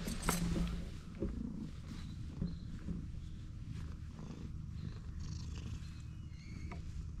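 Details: Stray cat purring steadily right after first meeting, a low rumbling drone with soft rustling and a few brief clicks and handling noises over it.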